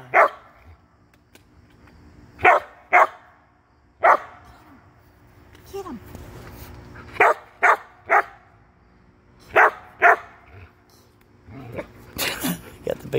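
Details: Samoyed playing outdoors and jumping for bubbles, giving short, sharp barks in loose bursts, often in pairs, about ten over thirteen seconds, with people cheering him on and chatting between barks.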